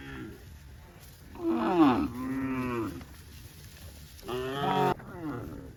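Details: Several tame cows at a cattle farm running in green grass rice fields, mooing in two bursts, the first with a falling harmonic-rich low, the second a short strong moo near the end.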